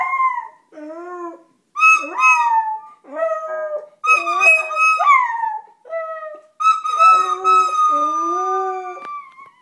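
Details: Howling dog reacting to a flute, singing along in a near-continuous stream of wavering, gliding howls with strong harmonics, mixed with lower steady flute tones throughout.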